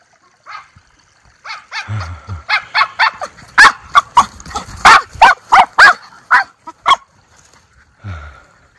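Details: Two Miniature Schnauzer brothers, Levi and Lucky, running free outside in spring 2024 in Aroostook County, Maine, on their first outing since the snow melted; sharp, loud barks come in an irregular burst, quickening in the middle, then fading to a few yips.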